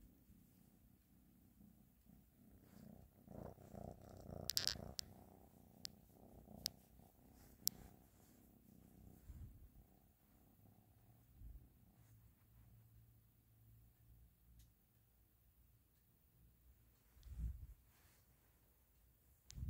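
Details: Ashley the cat purrs in a soft, uneven low rumble, broken by several clicks and rustling handling noises, with a louder thump late on.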